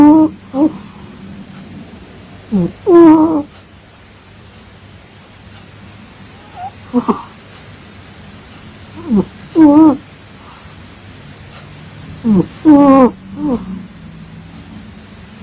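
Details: Sleeping pet cat snoring with whistled, wavering nasal tones, often in inhale-exhale pairs, recurring about every three seconds against a quiet room.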